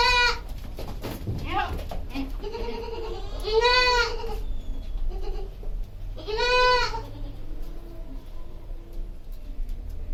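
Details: Farmed goat calling amid human speech, giving two loud, tremulous bleats in the middle of the stretch while a person talks before and around them.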